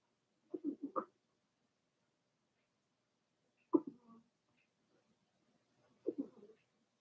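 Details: Daisy's four-week-old Cavalier King Charles Spaniel puppies in an indoor pen, uttering short nasal whines and yelps in three bursts about three seconds apart, each a quick run of two or three squeaks, with silence between.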